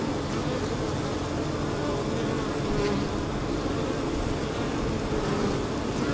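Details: Honey bees fanning the hive and gathering water from a leaky hose, a dense, even, unbroken buzz at constant loudness throughout.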